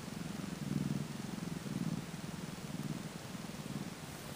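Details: Newborn Tonkinese kitten, two days old, in Tango's litter, gives a soft low purr rising and falling in gentle swells about once a second, faint against a steady background hiss.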